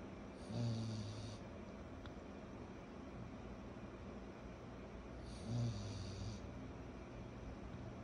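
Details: Kyro the pug puppy, aged 14 months, asleep and snoring: two rough, low rumbling snores roughly five seconds apart with breathy hiss, soft steady breathing and faint room noise in between.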